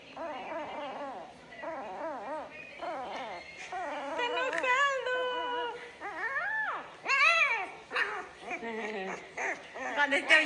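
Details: Siberian Husky in the morning producing a continuous run of wavering, sing-song whines and yowls that rise and fall in pitch, with louder howl-like swoops later on, mixed with a person's voice.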